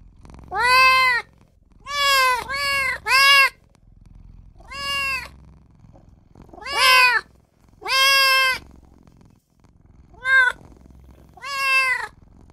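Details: Small newborn kitten crying for its mother and owner: about ten short, sharp meows, some in quick pairs and triplets, separated by brief silences.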